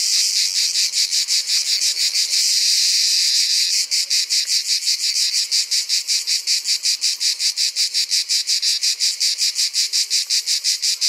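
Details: A male grey cicada in Provence sings in summer to attract a female, a loud, dry buzz breaking into a steady series of rasping pulses.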